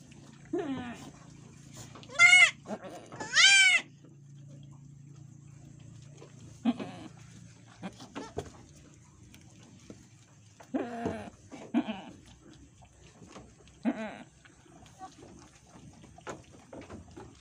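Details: Etawah goats at a farmer's pen in Bukittinggi, West Sumatra, as a doe gives birth: two loud, high, wavering bleats about a second apart, then quieter voices and shorter calls amid a low steady hum.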